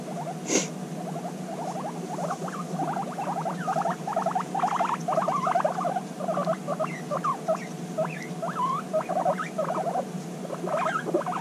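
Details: Guinea pig females meeting again after half a year apart during an intense bonding session, giving dense rapid trains of short chirping squeaks over a steady low rumble, with a brief bump near the start.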